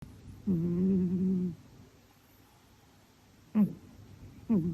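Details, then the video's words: Sleeping female domestic cat snoring: one drawn-out, low, tonal breath lasting about a second, then two short snorting catches, over a quiet background hiss. "Кошка храпит во сне"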